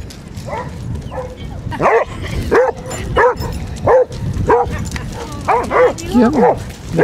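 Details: Basset Hounds, part of a group of 24 walking five miles along Burnham and Berrow beach, Somerset, on 2 February 2014; loud repeated barks roughly every half second to second, with voices and wind noise behind.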